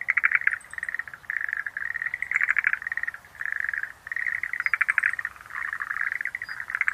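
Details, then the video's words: Schlegel's green tree frog calling in rapid pulsed bursts, dense rattling notes repeated with short gaps, several calls overlapping, with faint high chirps above. "Sounds of nature scenery-Rhacophorus schlegelii"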